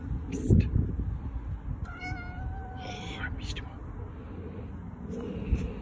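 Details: House cats, five together indoors, with one clear drawn-out meow near the middle, a level tonal cry of about a second, over steady low rumbling background noise and faint voices.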